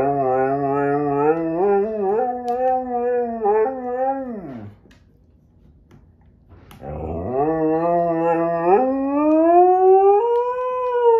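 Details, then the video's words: Sasha, a male Husky-Malamute, howls his displeasure while Kat the Husky and Paco the Doberman play. Two long, rich howls: the first holds steady then slides downward and fades, then a brief silence, then a second that climbs and swells higher. "Husky, Malsky, and Doby Play and Sing"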